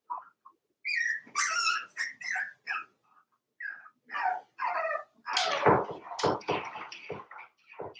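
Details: Cavalier King Charles Spaniel puppies aged four weeks, Daisy's litter in their pen indoors, making a busy string of yips, whines and squeaky whimpers, several overlapping, growing louder and more rapid toward the end.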